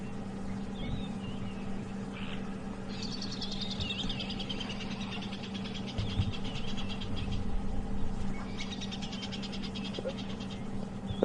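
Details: Tree squirrels alarm calling after noticing lions nearby on a sunrise safari drive: bursts of rapid, dry, clicking chatter that run for several seconds, pause, then start again, over a steady low vehicle hum.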